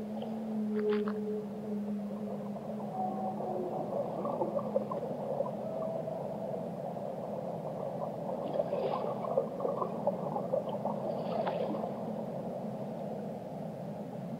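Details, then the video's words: Whale song of long, smooth tonal moans, some level and some gliding, layered between low and mid pitch, with faint clicks and crackles over a steady underwater hiss. "Relaxing Whale Songs"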